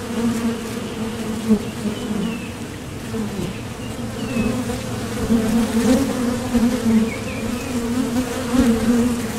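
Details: Foraging honeybees landing at and leaving a Top Bar Hive entrance. A low, wavering buzz that grows louder after five seconds as bees pass near, with a few faint sliding chirps high above.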